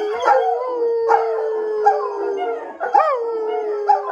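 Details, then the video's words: German Shepherds howling together indoors in a house: long sliding tones near a steady pitch, each starting with a rising yelp-like swoop about every second, overlapping voices, loud and clear. "German Shepherds HOWLING in the house"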